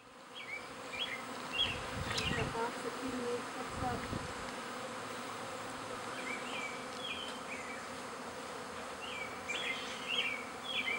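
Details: Honey bees in a backyard in spring, half the overcrowded hive with a new queen moving to a new home: a dense, steady, droning buzz fills the air, with short chirping bird calls and a few brief knocks.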